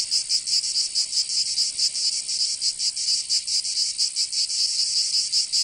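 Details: Cicadas singing in summer in Provence, southern France: a dense, high, rasping buzz pulsing in rapid regular beats, about three per second, steady throughout with no other sounds.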